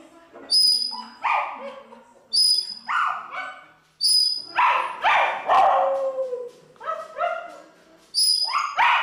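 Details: A Pomeranian that always tries to sing along to music howls in short, wavering yips and wails, with music sounding bright tones behind it.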